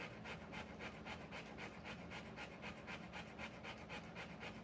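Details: Birth of Rottweiler puppies, the mother panting fast and very regularly, nearly four hissing breaths a second with clear gaps between them, a low electrical hum running beneath throughout.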